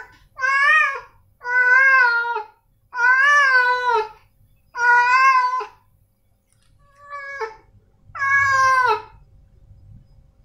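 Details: Meowing from male domestic cats Snowy and Milo: four strong, long meows with a bent, arching pitch, then a quieter short call and a final drawn-out meow, gaps of silence between them.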